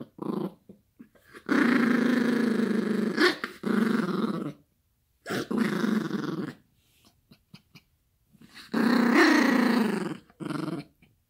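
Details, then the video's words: A Yorkshire Terrier puppy growls in long, rumbling bursts with brief pauses between them while playing with a toy with its owner. "Funny yorkie growling and barking for toy Smartest Dog In the World🐕"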